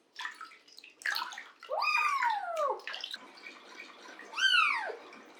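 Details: Cat at bath time in a bathtub, with splashing water throughout. Two drawn-out meows rise to a peak then slide downward, one near the middle and one near the end, over the water noise.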